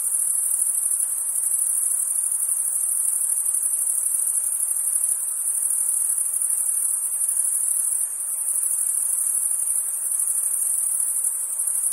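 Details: Summer night ambience of crickets: one continuous, piercing high trill that stays level and unbroken for the whole stretch, over a quiet diffuse background hum, with no voices or birds.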